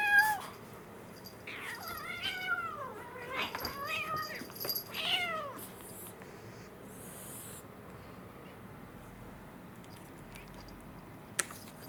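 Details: Indoors, two kittens born April 2021, an American Shorthair male and a Munchkin female, roughhouse; a quick cluster of short wavering meows in the first five seconds, then quiet room with faint rustling and a click.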